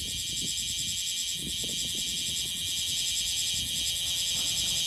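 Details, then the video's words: Loud continuous song of the bear cicada (Cryptotympana facialis) in Okinawa during summer: a dense, shrill buzzing drone with rapid regular pulsing, unbroken throughout, over soft low-pitched background noise. "セミの鳴き声 クマゼミ Cryptotympana facialis"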